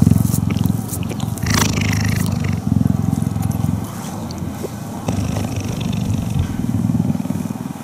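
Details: A female cheetah purrs while being touched and cuddled, a deep, steady rumble that pulses with each inhale and exhale as her neck vibrates. Cheetah (Acinonyx jubatus), purr.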